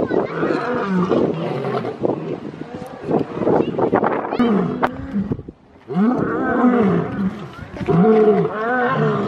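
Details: Lion roaring, a call used to mark territory and communicate with the pride: deep moaning calls with arched, bending tones, a brief near-silent gap midway, then more drawn-out rising-and-falling moans.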